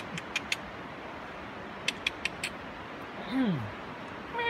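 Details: A cat meowing at a squirrel. One short, falling meow slides downward in pitch. Earlier in the recording, sharp, bright clicks come in quick bursts.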